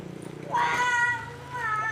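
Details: Piu, an unowned orange village cat that stays near the house, answers while being called and fed with one loud, clear meow: a sharp rising onset, then a drawn-out level tone that fades, over faint background hum.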